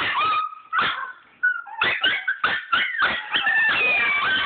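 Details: Chihuahuas excited about a trip to see grandma, giving quick bursts of high yipping whimpers, about one every half second, mixed with thin sustained whines that bend upward and down.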